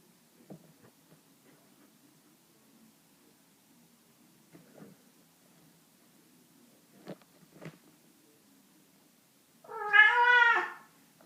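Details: Cat indoors giving a single loud, drawn-out meow near the end, wavering and harmonic-rich, after a long stretch of soft clicks and light tapping sounds.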